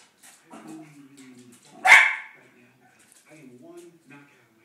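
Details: West Highland White Terrier at home, watching chipmunks in a movie, lets out one sharp, loud bark. High, chattering film voices play before and after it.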